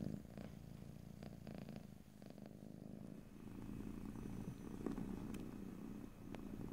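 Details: Domestic cat purring, recorded in stereo ear to ear with no talking: a steady low rumbling purr that thins around three seconds, then swells again, with a few faint clicks and a soft background hiss.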